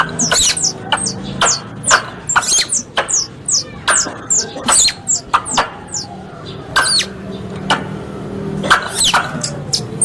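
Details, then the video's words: Squirrel sounds played as a lure for hunting: quick bursts of high, bending chirps and crisp clicks come in rapid clusters, pausing briefly midway, over a faint low drone. "Suara Tupai 3 In One Terbaru Sebagai Penyempurna Suara Pancingan Tupai"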